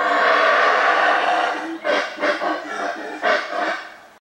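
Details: A troop of howler monkeys in central Belize, calling on spotting people, gives a deep, rasping roar that breaks into a string of pulsed, throaty bursts.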